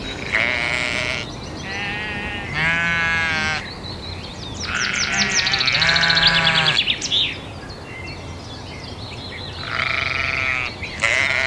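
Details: Sheep bleating in four loud, wavering, harmonic-rich bleats about a second each, separated by short pauses. Small birds chirp quietly in the background.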